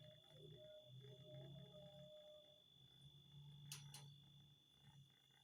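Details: House cat making a grr sound: a steady low rumbling growl with a thin, higher whining tone running over it, briefly interrupted by a sharp click.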